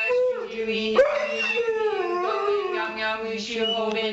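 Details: Three-legged dog howling along with a person's Buddhist chanting and a music soundtrack; wavering, sliding howl tones ride over a steady low chanting drone, with a sharp rise near the one-second mark.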